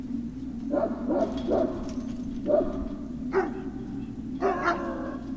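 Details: Great Dane puppies at Puppy Hill, 03-06-2019, afternoon: a run of high, short yips in quick clusters, some with whiny tails, over a constant low background hum.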